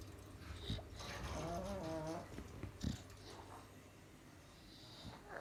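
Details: Sleeping bulldog and pug on a hazy Sunday afternoon; one drawn-out wavering nasal snore, then softer breathing and a few snuffles.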